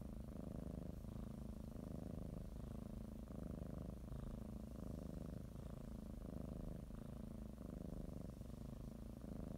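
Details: Kneading pet cat purring as it prepares for its morning nap; a deep, soothing rumble pulsing in regular inhale-exhale cycles roughly every second, otherwise quiet.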